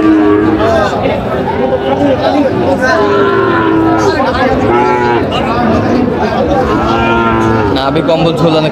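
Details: Sahiwal breed bull calves at a crowded Noakhali cattle market, 6 July 2025; several short, wavering moos repeat across the clip, tangled with loud voices and bargaining chatter.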